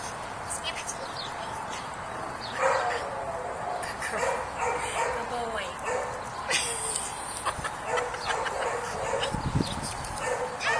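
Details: Rough coat Jack Russell Terrier Scamp, a neutered two-year-old, tugging playfully. Choppy barks and yaps pulse along beneath a person talking over much of the stretch.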